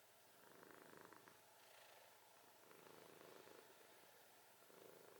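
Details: Domestic cat snoring, a soft, breathy rasp that swells and fades in slow rounds, with a fine fluttering texture through each breath; quiet room with faint background hiss.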